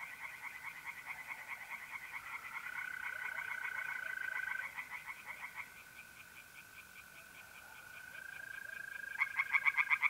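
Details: Several tree frogs calling from a pond on an April night in north-east Italy, steady trains of quick nasal pulses fading and swelling, loud bursts at the end, with a sustained mole cricket trill beneath.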